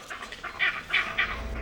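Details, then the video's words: Vervet monkey leopard alarm call in Africa, a signal that sends the troop dashing for the thinnest canopy branches where a leopard cannot follow; three loud, harsh barking bursts about a third of a second apart, over a quiet background. "The leopard signal triggers a frantic dash for the thinnest branches in the canopy where the leopard has no chance."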